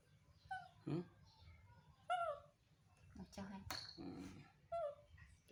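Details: Baby monkey making soft, sweet sounds to get his mother to comfort and hug him: short whimpering tonal cries, some rising then falling, repeated irregularly, with a person speaking Vietnamese nearby.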